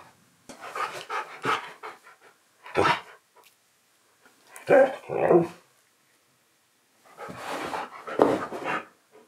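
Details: Keyush the husky protests during indoor filming, rewarded with biscuits: scattered bouts of yowling, grumbling vocalisations with a few sharp, bark-like bursts, separated by quiet gaps over about nine seconds.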